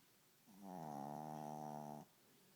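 A Pekingese snores with one long, steady, buzzing rattle drawn out for about a second and a half.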